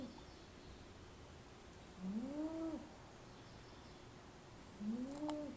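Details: A female domestic cat napping in a small basket snores softly. Two tonal, whistling snores rise and fall over about a second each, spaced roughly three seconds apart against a quiet background.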